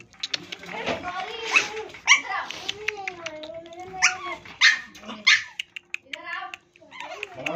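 A pug puppy lets out thin, wavering whines and brief yelping notes that rise and fall in pitch. Human voices talk over and between the calls.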